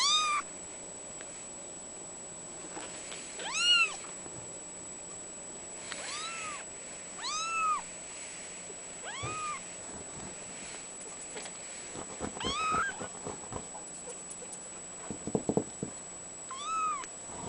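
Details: A three-week-old male seal point mitted Ragdoll kitten, born 22 October 2011, gives thin, high mews, each one arched and repeated every few seconds.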